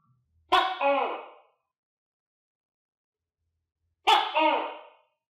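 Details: Tokay gecko kept in captivity with other geckos, eating crickets; two loud, croaking two-part calls about three and a half seconds apart, each starting with a sharp click, silence between.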